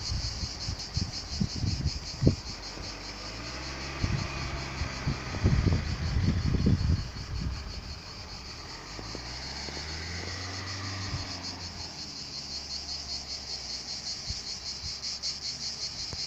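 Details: Cicadas sing a steady, high, pulsing buzz that never lets up over a low rumbling background, in a lavender field in the Vaucluse, France.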